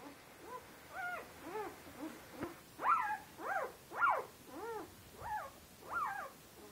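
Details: Turkmen Alabai (Central Asian Shepherd Dog) puppies from a litter of eight, three males and five females, born 8 February 2013, giving a run of short arched whining yelps, about one per second, rising then falling, with quiet background.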